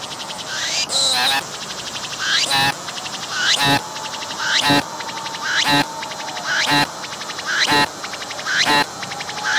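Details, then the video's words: Wild cicada with transparent wings singing at close range, abdomen visibly moving, filmed in 180-degree VR. Loud pulsing bursts arrive roughly every second, each introduced by a climbing sweep, over a softer continuous buzz between phrases. "鳴いているセミに接近して撮影してみた！I approached the cicadas that were singing and took a picture!"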